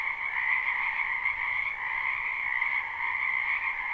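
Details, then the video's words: Frog chorus from a spring wetland behind a home, a live recording with no looping: unbroken, high trilling croaks layered over a lower hum of calls, holding steady throughout with minor volume wavering. "Ambient Noise for Sleep Frogs"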